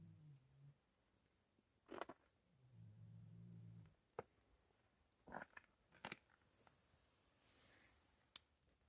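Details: Healthy pigs in a pigsty, asleep after eating, give two low droning snores, the first short and the second about a second long, between sharp clicks and crunching knocks inside a small room.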